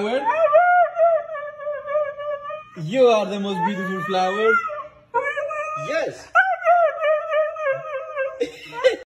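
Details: Meeka, a female Siberian husky, screams while her owners bathe and groom her at a groomers; long sustained high wailing tones waver and hold, broken by a rougher vocal burst, with human voices talking in a small room.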